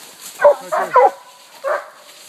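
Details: Treed raccoon held by coonhounds (walker pup, walker, blue tick, black and tan); a few short barks in quick succession, then one more after a pause, with a faint background hum.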